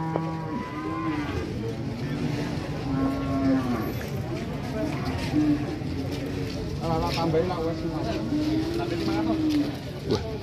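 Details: Jumbo cattle, a rare large animal arriving late to an Indonesian sale where buyers vie to place a down payment, gives several drawn-out, low moos with wavering pitch, one after another, over a steady hum of crowd voices and bargaining.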